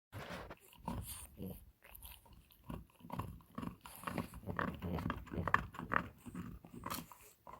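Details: A female French Bulldog gnawing on an antler, giving irregular bursts of crunching and clicking bites, roughly two or three per second, with brief pauses between chewing bouts.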